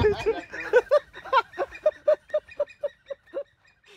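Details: Siamang, an arboreal black-furred gibbon, calling in a series of short rhythmic hoots that start irregular and mixed, then settle into evenly spaced, clipped notes repeated about three per second before fading out.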